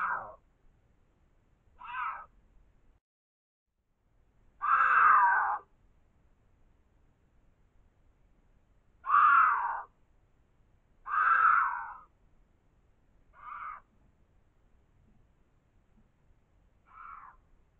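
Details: Cougar (Puma concolor): one of a pair of mountain lions caught on trail camera at an abandoned mine entrance in the Tucson Mountains gives a series of short, harsh, meow-like calls spaced a couple of seconds apart.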